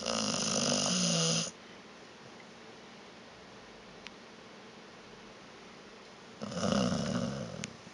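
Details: Vita the dog snoring in her sleep: a loud, gravelly snore opening the recording, about five seconds of near silence, then another harsh rattling inhalation.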